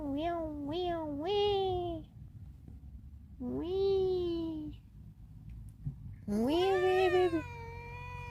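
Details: A domestic cat wanting to escape gives three quick rising meows in a row. After a pause come a longer arched meow and then a loud, strained, drawn-out cry, with a low hum in the background.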